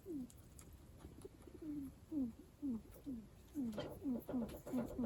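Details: Guinea pig kept as a house pet giving odd, strange-sounding calls: clear, short, falling chirps repeated roughly twice a second, ten in a row, over quiet indoor background.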